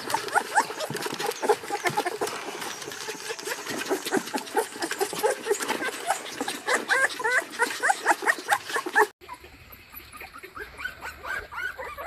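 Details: Puppy crying and whimpering in its crate: fast, crowded yelps and wavering squeals for about nine seconds, then an abrupt cut to a quieter, muffled stretch of softer whining.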